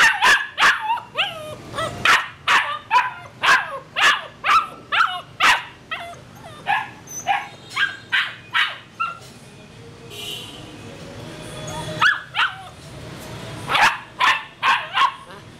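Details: Purebred Rottweiler, male, in Saigon, Vietnam, barking steadily: a long series of loud, punchy barks roughly every half second, a brief lull with background rumble, then another rapid volley.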